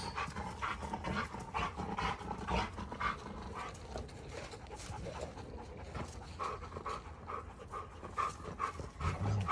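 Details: Two Giant Schnauzers named Garvey and Luther square off in a fight. Guttural rumbling and rapid breathy pants come in choppy bursts, over two per second, and grow louder and deeper toward the end.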